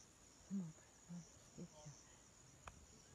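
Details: A baby rhinoceros trying to wake its dead mother gives short, low, moaning squeaks, about four in a second and a half. A sharp click follows, over a faint steady hum from insects.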